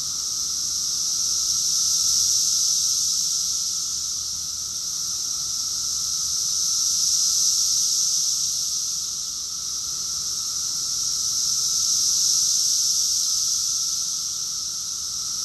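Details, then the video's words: Many cicadas singing together in Rockville, Maryland, USA, summer of June 2021: a sustained high electric buzz rising and falling in three broad waves roughly five seconds apart, over a faint low hum. "Cicadas song || Cicada's chorus song"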